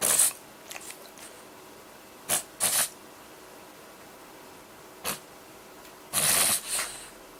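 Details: French Bulldog Haruta, eight months old, recorded 18 January 2013 during a reverse-sneezing episode and looking distressed; harsh, breathy snorting bursts come in irregular groups separated by quiet pauses, with a longer rasping burst near the end.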